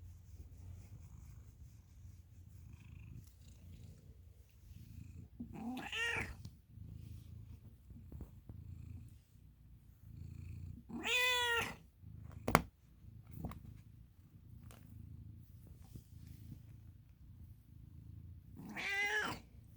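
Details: American Ringtail cat Milo purrs in a steady low rumble through the whole stretch, breaking into three loud, harmonic meows spaced several seconds apart, with one sharp knock in between.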